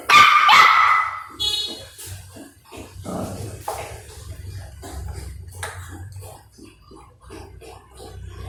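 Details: Two puppies squabbling over food: one loud, raspy bark opens, followed by a rapid string of short, soft yips and growly bursts, roughly three per second, with some background voices.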